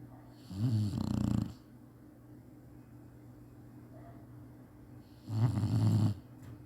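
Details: Chinese Shar-Pei asleep during a nap, giving two low, rattling snores about four and a half seconds apart, each lasting under a second, with quiet breathing between them.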